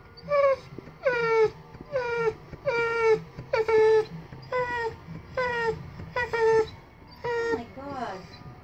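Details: Theo, a 3-year-old rescued Saint Bernard weighing 184 pounds, in pain from a torn ACL and meniscus, cries in drawn-out whining moans that fall in pitch, repeated roughly every second, with low background noise.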